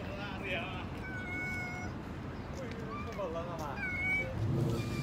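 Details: Many cats and kittens, orange, white and black, meowing; thin high meows overlap one another in quick succession over a loud, rumbling low background noise.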